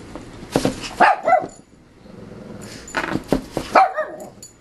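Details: Excited Shih Tzu puppy named Yogi, bouncing off the walls of a playpen at home: two short bursts of high, sharp yips and barks about three seconds apart, with quiet room noise between.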